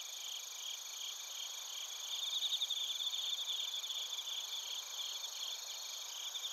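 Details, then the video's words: A chorus of bell crickets and other crickets in Narita, Chiba, Japan, captured with a TASCAM Portacapture X8. Quiet, continuous high chirping pulses overlap. A brighter, faster trill swells slightly near the middle. "スズムシとコオロギの鳴き声 - Chirping of crickets"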